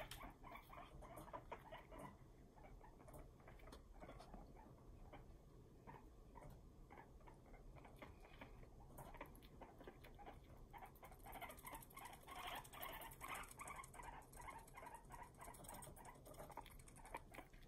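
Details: Male pet guinea pig angrily teeth chattering at a companion while separated; dense, fast, uneven clicking runs steadily throughout, growing busier and louder in the last third, with light room noise.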